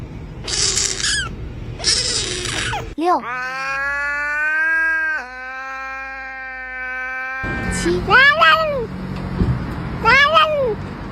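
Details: Domestic cat from a compilation of weird, cute, soft and scared cat sounds: a long drawn-out wavering yowl held several seconds, then short arched meows rising and falling, with noisy hissy bursts at the start and background music.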